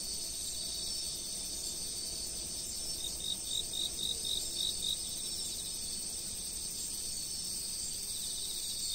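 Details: Insects chirping at a fixed camera spot, a steady high trill band overlaid by a short run of evenly spaced pulsed chirps lasting about two seconds, with faint background noise.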